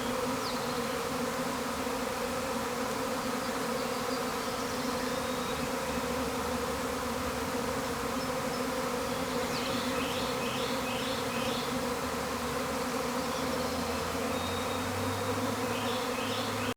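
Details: A honey bee swarm leaving a hive makes a loud, sustained drone with strong low harmonics, steady for the whole stretch. Faint high chirps from other creatures are scattered in the background.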